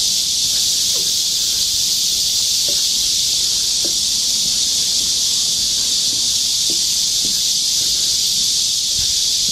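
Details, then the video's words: Summer cicadas in chorus in the forest of Galsan Park, Yangcheon-gu, Seoul, South Korea: a dense, unbroken high-pitched hiss-like drone, with faint soft taps and rustles beneath along a park walking path. "여름 자연의 소리. 매미울음소리."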